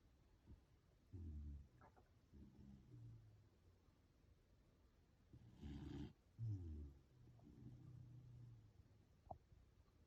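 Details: Sleeping Corgi pulling funny faces while it snores: low, throaty, rattling breaths in roughly five bursts a second or two apart, with a few faint clicks between them in a quiet room.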